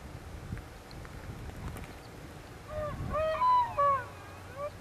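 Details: Elk (Cervus elaphus) in the Benezette township area of Elk County, Pennsylvania, during the rut: a short run of clear, tonal, harmonic call notes rising and falling over about two seconds, over a low rumbling background.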